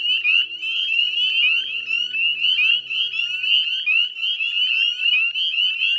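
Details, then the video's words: Northern spring peepers calling en masse at the Chezzetcook salt marsh wetlands, Nova Scotia, at dusk in mid-May 2020; shrill upslurred peeps pile on one another in a steady, pulsing wall of sound, faint low tones early on. "Northern Spring Peeper Chorus"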